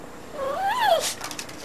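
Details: Terry, a female pet dog, lets out a single rising-then-falling tonal whine, about half a second long, while barking at a tree; quiet room background.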